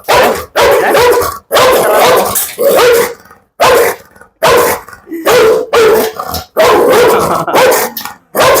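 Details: Large, heavy pit bull in Kollam, Kerala, barking during a dog challenge: a rapid, uneven run of about ten loud, gruff barks over eight seconds, some doubled, with brief silent gaps between them.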